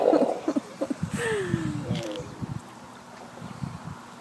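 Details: Sea lions at Fanny Bay, Comox Valley, Vancouver Island, on Victoria Day weekend give a drawn-out, falling moan among short gruff grunts while waiting to be fed.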